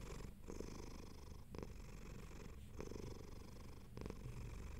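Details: Domestic cat purring contentedly while comfortable: a continuous low rumbling purr with a steady pulsing texture, alternating breathing phases about every 1.2 seconds, close and quiet indoors.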